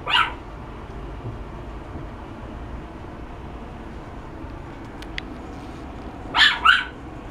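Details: Chihuahua barking: one sharp bark at the start, then after a long quiet stretch two quick barks in succession near the end, over a steady low background hum.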